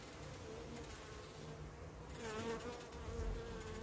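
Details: Carniolan honey bees buzzing as the queen returns from her orientation flight and hesitates at the entrance; low humming drone that grows louder midway, with wavering pitch and brief passing swells.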